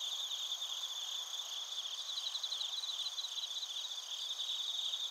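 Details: Night-style chorus of bell crickets and field crickets from Narita, Chiba, Japan, recorded via TASCAM Portacapture X8; bright sustained trilling bands and clustered rapid chirps, even in loudness throughout.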